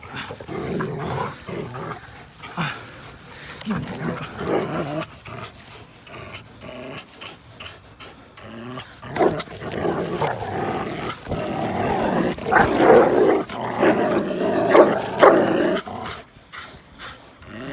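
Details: Linus the American Pit Bull Terrier and Buddy, a blue Belgian Malinois cross, play-fighting on April 1, 2019; rough, noisy growls and scuffling bursts come and go irregularly, growing louder toward the end, with faint background music.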